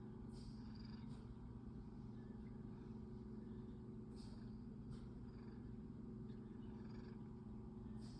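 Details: A male domestic cat purring while yawning: a steady, low, continuous rumbling hum that runs unbroken through the whole stretch, with a few faint, brief higher rustles and clicks above it.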